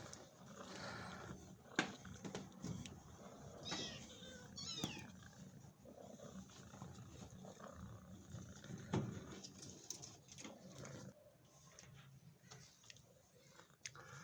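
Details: Mother cat guarding her very small kitten, kept in a cage, jealous and unwilling to let it be touched; faint wavering, harmonic cries cluster around the middle, over steady background hiss with scattered clicks and rustling.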